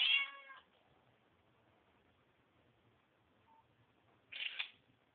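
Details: Mother cat grooming her kittens; two brief high-pitched squeaky kitten meows, one at the start and one near the end, separated by quiet rustling.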